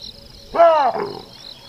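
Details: Baboon in the African bush gives a single loud two-part call, a rising then falling harmonic bark, over a steady background insect drone.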